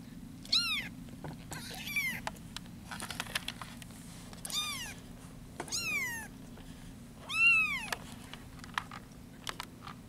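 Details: Bottle-fed foster kittens from a litter taken in at about ten days old, giving high, squeaky mews that arch up and fall, five or six cries spaced about a second apart, over a steady low rumbling hum in a small room.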